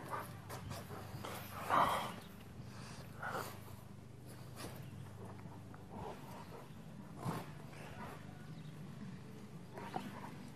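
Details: Two Rottweilers play fighting, a big one in a truck and a younger one joining in, with oldies music on: short snorting, growly bursts, the loudest near two seconds, then scattered huffs over a steady low engine-like hum.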